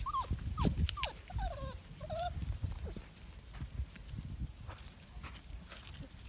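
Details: Kuvasz Kangal Komondor mix puppies, five weeks old, as night falls: several quick, falling whines and a longer bent whimper in the first two seconds over low thumping and shuffling, then mostly rustling.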